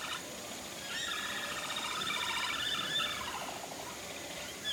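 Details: A herd of capybaras calling in unison at Nagasaki Bio Park, possibly on 15 October 2014, as they visit the breeding male, who also calls: rapid, overlapping chirping chatter with a warbling, pulsed quality.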